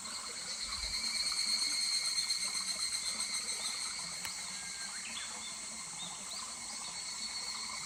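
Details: Higurashi cicada calling in July beside a stream at Kuragari Pass: a high, rapidly pulsed trill swells within a second, peaks, then fades gradually over several seconds, over a steady bed of trickling water and a constant high insect hum.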